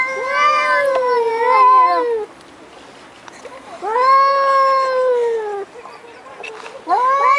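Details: Domestic cats making odd noises: three drawn-out, strongly harmonic meows, each about one to two seconds long. They rise and then sag or fall in pitch, with quiet gaps between them.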